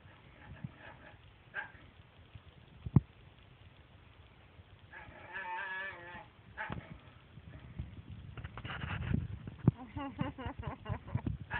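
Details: Jealous dog making strange talking noises while its owners pet the cat: quiet at first, then wavering, moaning harmonic vocal bursts around the middle, followed by longer grumbling, warbling strings of sound toward the end, with low household rumble beneath.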